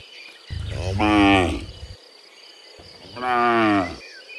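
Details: A pair of deep, slightly rising then falling moos about two seconds apart from cows walking back from the field to the pen in the morning, with faint birdsong behind.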